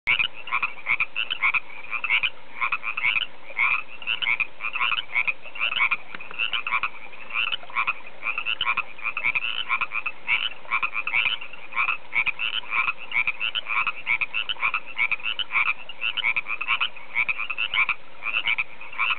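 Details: Frogs call in a dense, continuous spring chorus of rapid, pulsing trills and croaks at Table Top Mountain near Oroville, California.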